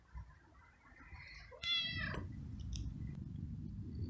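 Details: Very young male stray kitten living on the street, fed daily and keen to be petted after eating; one clear harmonic meow lasting about half a second, falling slightly at the end, followed by low rustling and chewing noise.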